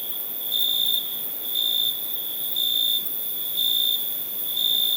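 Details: A cricket's chirps arrive as regular high-pitched bursts about once per second, evenly spaced over five seconds, riding on an unbroken shrill ringing note.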